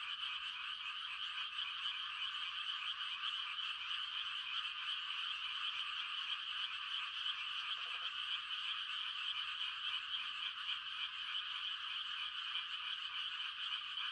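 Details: Quiet country night filled with mating calls of frogs: a thick, steady wall of high trilling voices. One short lower croak sounds near the middle.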